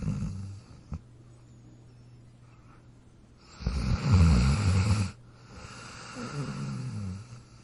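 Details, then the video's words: Sleeping dog snoring, with a quiet stretch before one loud, coarse, low snore of about a second and a half, then a fainter fluttering breath out. "Dog Snoring Sound Effect"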